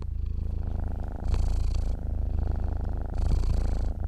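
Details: Low vibrating rumble of a sleeping cat's purr, softer at first, then rising into two fuller, raspier surges about two seconds apart.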